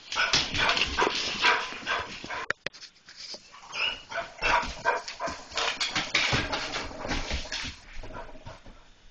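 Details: German Shorthaired Pointers spot a cat and break into rapid, excited barking, about two to three barks a second. The barks are uneven and overlapping, with a brief lull near the middle before the barking resumes.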